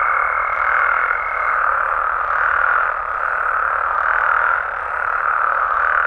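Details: Mexican frogs and toads calling at night in their natural habitat: a dense, unbroken croaking chorus that swells and fades gently, with a thin steady high whine running through the first second and a half.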